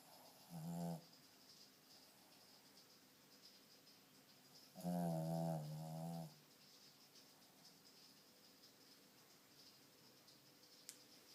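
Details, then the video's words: Sleeping pet dog with a snoring problem and sleep apnea; a short low buzzy snore, then after a pause a longer wavering snore of about one and a half seconds, followed by quiet room tone. "My snoring dog"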